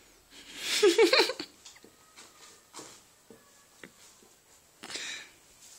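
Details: Happy ferrets indoors: a short burst of rapid, chattering clucks in the first second and a half, then quiet scattered clicks, sniffs and rustles in a small room.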